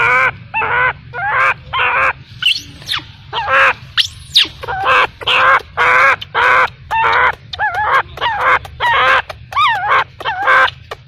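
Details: Baby macaque abandoned by its mother, crying: loud, harmonic wailing calls about half a second each, repeated roughly twice a second in a long series, some with wavering, up-and-down pitch.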